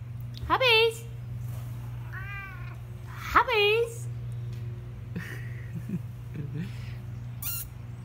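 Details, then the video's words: Ragdoll cat talking indoors: two loud drawn-out meows rising then falling, about three seconds apart, with a softer trilled chirp between them, over a steady low hum and a woman speaking to the cat. "Ragdoll Cat Hobbs talking it up."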